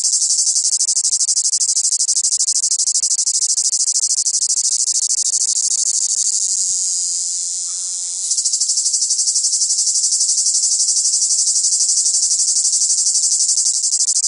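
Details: Cicadas singing in the south: a loud, dense, shrill buzzing chorus held almost unbroken for fourteen seconds, easing briefly near the middle before surging back, over a faint low drifting hum.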